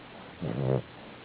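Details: Bella, a sleeping dog, lets out a single low, rumbling, voiced snore lasting under half a second, with a steady hiss in the background.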